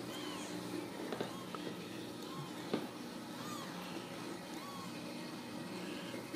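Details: Indoors at a central Kansas Ragdoll cattery, kittens produce soft, short, arched mews spaced a second or two apart, half-buried in a steady background hum with a few clicks.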